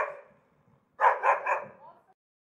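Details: Angry dog: the fading tail of a bark, a brief silence, then three rapid, harsh barks that trail off into a soft growly ending.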